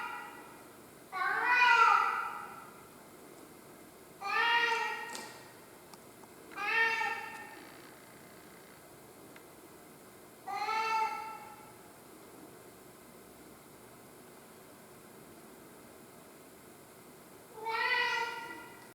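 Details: Tarzan, a pet cat, crying indoors: five drawn-out, harmonic meows, each about a second long, arriving at irregular gaps of roughly two to four seconds, with quiet room background between them.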